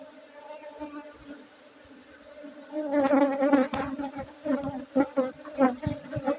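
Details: Aceh honey bees humming: a quiet steady drone swells after a few seconds into a louder, pulsing buzz with rapid uneven surges and brief sharp clicks near the end.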